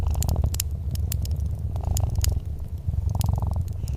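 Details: A softly purring domestic cat beside a crackling fireplace: a steady, deep, low rumble runs throughout, overlaid with frequent sharp snaps and pops from the burning wood.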